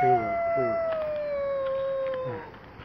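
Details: Tabboush, a stray cat out on the street in trouble with the local cats, lets out a loud sustained wailing meow, steady then sliding down at the end, with short low bursts of other sounds at start and finish.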